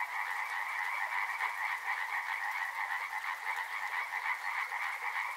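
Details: River frogs in full chorus, overlapping rattling croaks stacked in a low and a high band, throbbing in quick uneven pulses, backed by a faint watery hiss.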